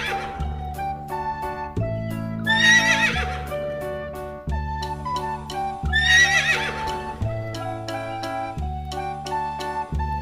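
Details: Horse whinnying twice, each a shrill, quavering high neigh lasting under a second and falling away, spaced about three and a half seconds apart, over steady backing music with low sustained tones and plucked notes throughout.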